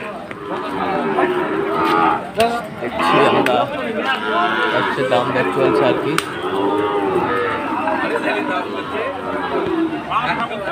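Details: Sahiwal bulls in rainy Chattogram, Bangladesh, on the second day of Eid, lowing repeatedly: long wavering moos, several overlapping, against continuous crowd murmur and occasional loud clatters.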